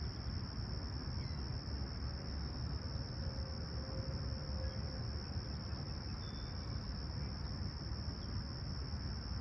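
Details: Summer-morning crickets in Toronto's Humber Bay Shores, clear and calm, July 28, 2020, 20ºC: an unwavering high trill sustained for the whole stretch, set against a broad low hum of distant noise and one brief faint bird note.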